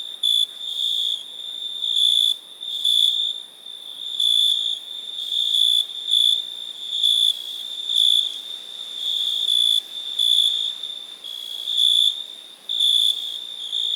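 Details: Continuous high cricket trilling, broken into louder ringing pulses at irregular one-to-two-second intervals over fourteen seconds.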